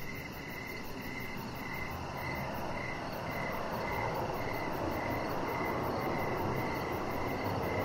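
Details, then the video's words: Crickets heard at evening from a deck where Rocket the chihuahua puppy lies among decoration lights; crisp chirps repeating roughly every half second, backed by a rising low rumble and a faint high buzzing trill. "Chihuahua Puppy Laying On Deck with Cricket Sounds"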